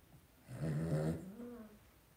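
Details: Two-week-old blenheim Cavalier King Charles Spaniel puppy from a litter of five born at New Year's, in an indoor puppy pen, gives one low harmonic whimpering grunt lasting about a second that trails off softly; quiet room otherwise.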